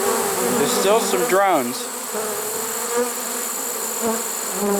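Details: Trapped honey bee swarm, caught unusually late in the season on 1 September 2019, humming evenly throughout, with a short stretch of human speech in the middle.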